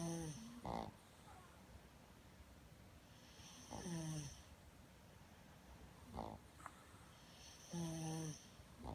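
A Boston Terrier snores loudly in rough, rattling breaths about every two and a half seconds.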